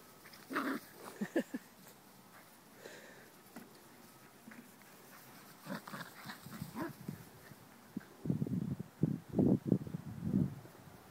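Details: Puppies playing outdoors, tussling and chasing each other over a pine cone used as a toy; scattered soft snuffles early on, then a burst of low, rough growling grunts near the end, with a person's voice in the background.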